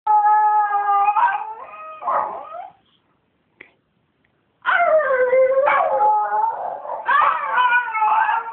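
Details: Pet Miniature Schnauzer singing to wake its owner in the early morning: long, wavering, harmonic howls, a pause of near silence, then a renewed rising and falling howl with sliding pitch.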